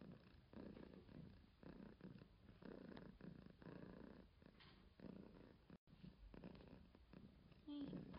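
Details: Domestic cat purring steadily, low throbbing rumble in repeated breath-length pulses, one short break midway, a faint squeak at the close.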